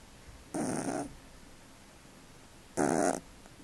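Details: Cat snoring while asleep: two short, breathy, rasping snores about two seconds apart, with quiet room sound between them.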